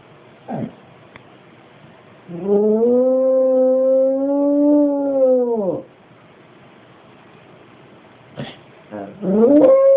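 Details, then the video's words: Staffordshire Bull Terrier crossed with American Pit Bull Terrier, a pet dog, howling like a werewolf: a long sustained harmonic howl of about three seconds, steady then dropping at the end, with short yelps before and a rising howl starting near the close. "Staffy cross American pit howling like a werewolf"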